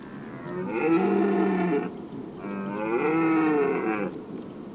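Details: Rutting red deer in the Weerterbos on an evening in late September 2013, recorded from a lookout tower: two long, rich, harmonic bellows, each over a second, separated by a short pause.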